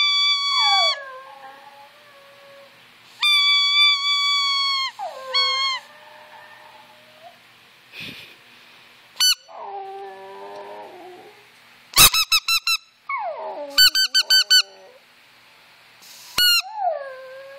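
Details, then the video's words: Brooke, a pet Yorkshire Terrier, howls along to squeaker toys and whistles; bright high squeaks and whistle blasts alternate with drawn-out, sliding dog howls that drop in pitch, repeated many times. "Howling yorkie"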